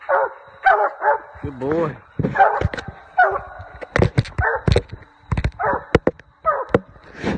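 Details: A Treeing Walker Coonhound on a coon hunt gives short, ringing, harmonic barks in quick succession, with human voices mixed in.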